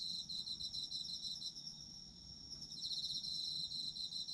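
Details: High shimmering trills of autumn insects, fast pulses overlapping from more than one caller, dipping slightly midway before growing louder again, with a faint low rumble underneath.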